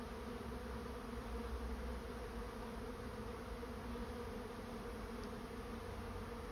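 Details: Dense honey bee swarm buzzing while moving into a swarm trap: an unbroken, even drone with layered humming overtones and almost no other sound.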